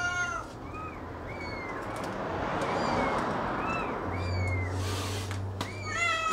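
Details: Cat with kitten during feeding: brief, thin, upswept meows repeat about every half second. A loud broadband hiss and a low hum partly bury them.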